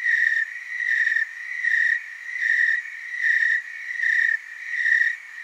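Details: Oregon tree crickets from the Willamette Valley in chorus, a loud ringing trill beating in rhythmic swells near every 0.8 seconds, overlapping insects keeping a continuous background hum between peaks.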